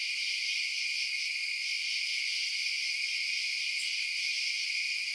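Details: Crickets chirping at night: a dense, unbroken high-pitched chorus in steady layered bands, with one faint brief higher tick near the end and no other sounds.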